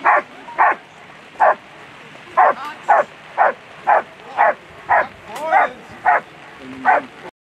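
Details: German Shepherd at a world championship agility competition, barking in short sharp bursts roughly every half second, with uneven gaps across about seven seconds; a faint murmur of background noise runs beneath.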